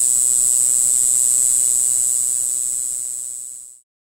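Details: Mogannia formosana, green-island form, singing on Green Island, Taiwan, in April: one steady, piercing, very high buzzing note held unbroken for several seconds, then fading quickly to silence, with no other sounds.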